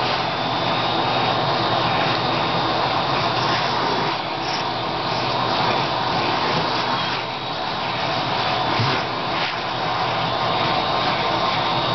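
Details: Loud, continuous roar of a vacuum cleaner fills the whole stretch, with no animal voice.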